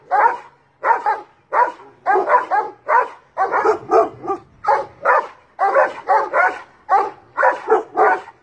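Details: Large dogs bark at a cat up a tree in loud, deep bursts, several overlapping in quick, uneven runs.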